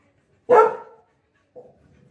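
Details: One loud, sharp bark from Lily, a Labrador Retriever who lost her apple, followed a second later by a soft, brief after-sound in a quiet room.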